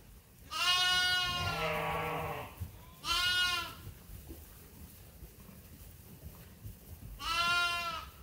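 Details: Farmed sheep and lambs at Ewetopia Farms awaiting feed during daily chores give three loud, quavering bleats. The first is long and drops to a lower, hoarser tone, followed by two shorter, steadier cries with quiet gaps between.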